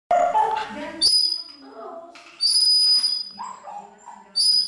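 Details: A Pomeranian tries to sing along to music, giving wavering, high-pitched howls with bright, piercing tones over the music.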